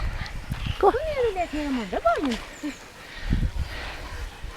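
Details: Dogs by a lake at Lida Nature Reserve on a summer day, giving high, drawn-out whines that bend up and down in pitch, several overlapping, while a person talks in Swedish nearby.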